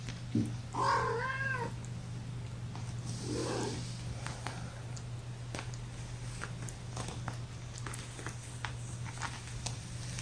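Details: One of five young kittens, born April 14 to mother Gamora, resting in a lap indoors gives a single short rising-falling mew. A faint second squeak follows over a constant low hum.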